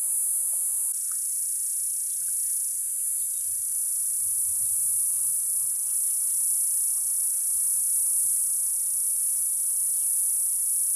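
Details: A continuous high, ringing drone of summer cicadas, level and unwavering for the whole stretch, with soft low-pitched knocks and rustles faintly beneath it.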